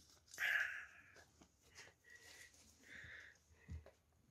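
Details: Beagle puppies making their first steps in a small room; a loud high squeal opens, then softer drawn-out whines and a faint snuffle follow, with a steady low room hum underneath.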